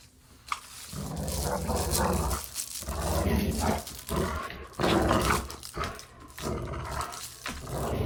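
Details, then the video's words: Dogs growling during play, recorded as desensitization sound material: rough, rumbling growls in long bursts of one to two seconds with brief pauses, mostly low and gravelly, with occasional sharper snarly accents. "Dog Play Growling"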